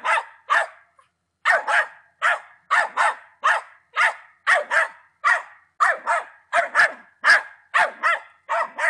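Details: Patterdale Terrier named Attila, ten months old, barking in quick pairs and bursts, sharp harsh barks repeated roughly twice a second with a short pause near the start; no other sounds.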